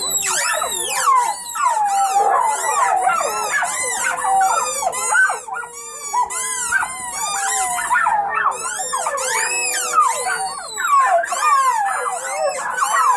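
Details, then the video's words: Chorus of howling puppies from one family, many overlapping wavering wails and yips forming a continuous dense cry that swells and dips. "Family of puppies howling"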